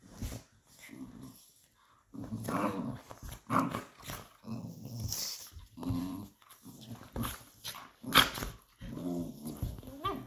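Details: Patterdale fell terriers playing rough indoors: rolling low growls in short bursts alternate with snapping, scuffling noises and sharp knocks, with a brief pause near the start.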